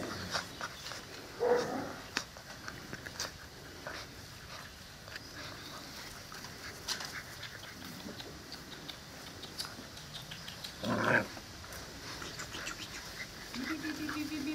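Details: Seven-week-old Presa Canario and Cane Corso puppies, kept at a kennel, give two short, squeaky whimpers, one near the start and one later. Quiet shuffling, sniffing and soft panting fill the gaps indoors.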